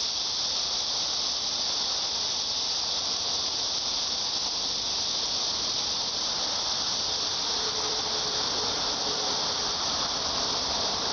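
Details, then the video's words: Cicadas giving a continuous, steady, high buzzing drone that holds unbroken and even in loudness throughout, with no pauses or changes in rhythm and no other clear sounds. "매미 소리"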